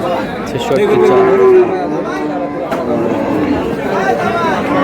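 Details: Cattle market at Aftabganj haat, meat cows for sale on 22 April: one clear moo sliding gently downward for about a second, then fainter lowing beneath loud chatter and bargaining voices.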